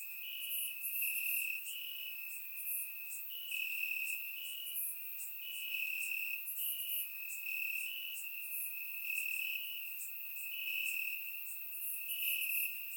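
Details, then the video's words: Bulgarian summer night with crickets chirping in the grass: an unbroken shrill tone underneath, plus rhythmic waves of louder trilling swelling every one to two seconds, dense chorus of many callers. "Cricket Sounds - Crickets Chirping at Night"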